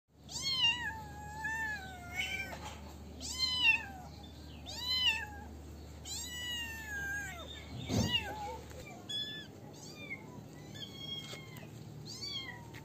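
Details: Kittens meowing in a series of clear, rising-then-falling cries, about five loud ones over eight seconds, with a sharp click near the middle, followed by softer, shorter mews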